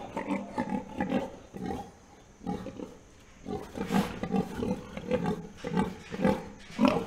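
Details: Farm pigs grunt and snort in a steady string of low, rough, throaty bursts.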